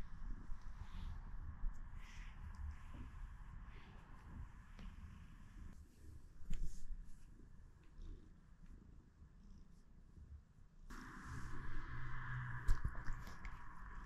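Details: Pet cat purring in the morning, a low, steady rumbling purr with a fast pulsing texture throughout, over a constant mid-pitched hiss that grows louder in the last few seconds, with a couple of faint taps.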